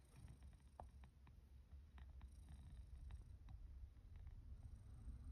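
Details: Sacchan, a male rescue cat estimated to be born in spring 2019, coming for breakfast after being called in autumn 2023; a steady low rumbling purr runs throughout, with scattered soft clicks and taps.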